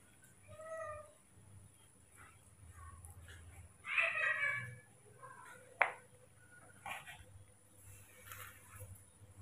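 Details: Baby monkey Mobi, hand-raised indoors, fussing on waking in the morning and wanting to be carried rather than put down; a few short, high, harmonic whining squeals, one louder burst midway, a sharp click, soft human voices between.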